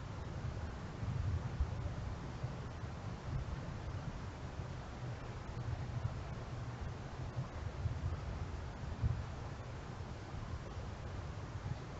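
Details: Only a low, constant rumble of wind buffeting the microphone, with faint broadband hiss and no distinct calls throughout.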